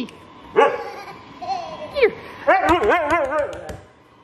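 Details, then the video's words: Talkative pet Siberian Husky at home, reacting as a baby charges toward it: a series of wavering, yodel-like woo-woo vocalizations with bending pitch, two short bursts then a longer warbling run, with brief laughter and voices nearby. "Very Talkative Siberian Husky"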